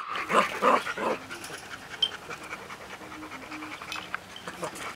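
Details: Litter of six-week-old Golden Retriever puppies in a cage: three fast, bright yelps open the recording, then it fades to soft rustling and faint low murmuring tones.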